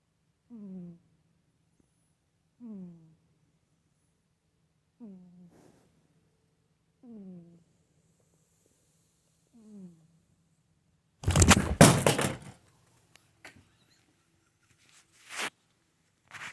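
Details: Pet cat Soxy hums five times while asleep, low, short, falling tones about every two seconds. Then she is gently woken, startles and knocks a remote away, producing a loud burst of crashing, scuffling noise and a few knocks.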